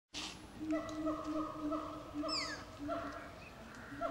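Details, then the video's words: Young Brazilian tapir at Cotswold Wildlife Park, Oxfordshire, recorded 6 September 2016, giving steady tonal squeaks with strong overtones, repeated about every half second, with one sharp high note sliding downward midway. "Brazilian Tapir Squeaking"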